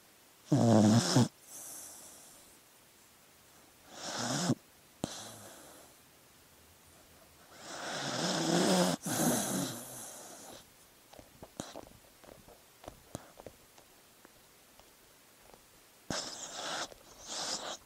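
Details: Sleeping dog: irregular snoring bursts, a few low voiced snores among breathy hisses, with small clicks and rustles between breaths and long quiet stretches.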